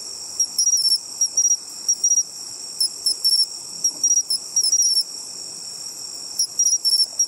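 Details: A bell cricket, searched for by ear at the seaside, sings short, bright, bell-like trills in quick bursts over a steady insect hum.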